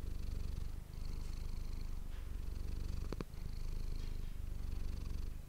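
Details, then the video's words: Deep, unbroken purr of the domestic cat Manis captured with an ASMR microphone, smooth low rumbling with only a faint click or two partway through. "ASMR cat purring ❤ Manis die aan het spinnen is"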